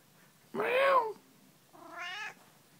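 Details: Domestic cat indoors giving two drawn-out meows about a second apart: the first is loud and arched, rising then falling; the second is softer and shorter, with a slightly flatter tone. The room is otherwise quiet.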